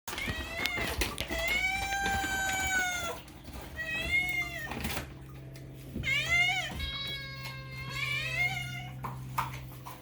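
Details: Domestic cat, named Moo, meowing insistently indoors: four long drawn-out harmonic meows, each rising then falling, about one every two seconds, with faint music and a steady low hum underneath.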